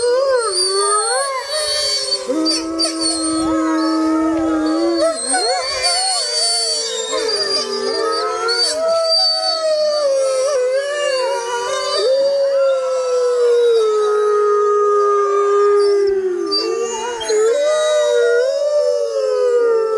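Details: Grey wolves howling together in the wild on a full-moon night in jungle, several long overlapping tones sliding up and down, voices weaving and bending continuously throughout, with faint insect-like buzzing high above.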